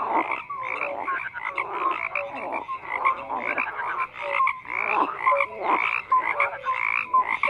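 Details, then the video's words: Throng of frogs croaking, with rhythmic surges of grating calls roughly each second. Short whistle-like notes are scattered throughout, and there are brief lulls between waves of sound. "FROGS CROAKING"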